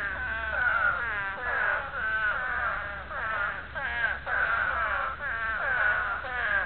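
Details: Chorus of spadefoot toads in breeding calls, continuous overlapping wails with quavering, downward-bending harmonics, each about a second long, the loudness rising and dipping without a clear break.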